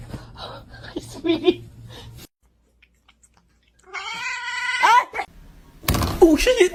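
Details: Pet kitten meowing indoors: a drawn-out, strongly harmonic meow sliding slightly upward then dropping at the end, followed by a short sharp cry amid loud human laughter and talking.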